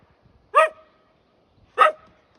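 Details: Husky named Lady, dubbed the neighborhood alarm clock, giving two sharp, harmonic-rich barks about a second apart with silence between.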